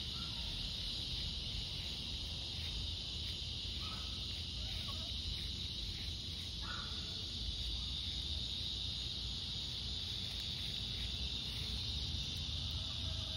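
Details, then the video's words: Cicadas on a summer evening walk, August 4th at dusk: a steady high-pitched droning buzz throughout, with several short harsh bird calls, crow-like, breaking in over a low background rumble. "Evening Cicada Song Stroll"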